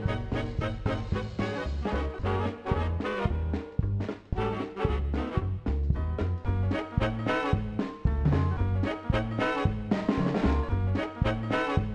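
Lively swing music with brass and a steady beat plays throughout, with no animal sounds.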